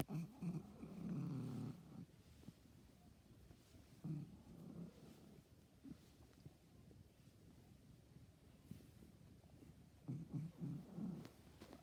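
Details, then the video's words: Pet cat making strange noises: low rumbling bursts, purr-like, in three spells near the start, middle and end, with quiet gaps between. "MY CAT MAKES STRANGE NOISES"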